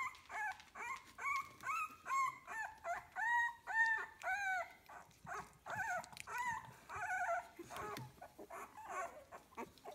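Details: A litter of 15-day-old kennel puppies whimpers almost continuously, many short tonal cries overlapping in a busy, irregular chorus of about two calls per second.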